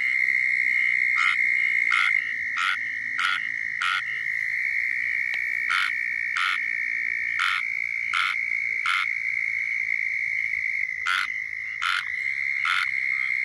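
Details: A squirrel treefrog (Hyla squirella) in Florida gives its mating call: short, raspy, duck-like calls in irregular bursts over a steady insect-like hum.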